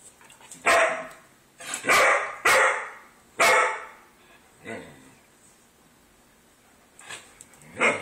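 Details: Poodle indoors barking at a cat that came inside uninvited: four sharp, loud barks within about three seconds, a softer one after, a long pause, then a final bark.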